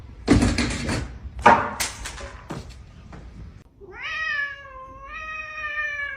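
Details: Cat giving a long, drawn-out meow with a rich harmonic tone that rises slightly, holds steady, then lifts again near the end. It is preceded by several sharp knocks and thuds, like objects being handled indoors.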